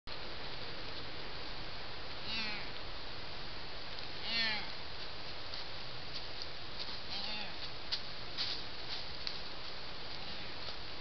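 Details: A young deer in northwestern Pennsylvania gives short, nasal "maw" bleats a few seconds apart over steady background hiss.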